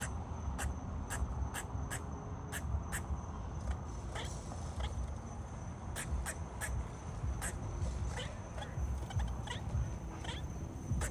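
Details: Squirrel barking: a steady series of sharp, clicky barks about twice per second, some closer together near the middle, over a constant low rumble of background noise and a faint steady high tone.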